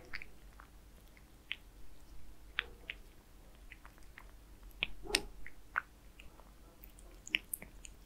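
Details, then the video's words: Kitten named Zayka eating Purina Perfect Fit wet food indoors: sharp, irregular wet chewing clicks and smacks, roughly three per second, some louder bites standing out against a quiet room hum, with no talking. "Kitten Zayka eating wet food"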